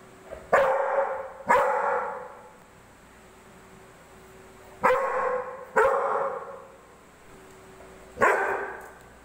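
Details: Dog barking at a ball: loud, sharp single barks in uneven pairs, about five over nine seconds, each ending in a short ringing echo, over a steady low hum of a room.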